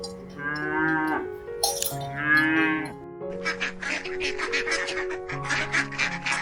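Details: Two nasal moos from a cow in the first half, followed by a rapid rattling, clicking sequence over sustained bell-like tones.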